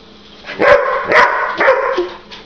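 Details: Domestic dog upset at a middle-finger gesture, letting out three harsh, noisy barks about half a second apart, then a softer fourth, with a calm human voice trying to settle it.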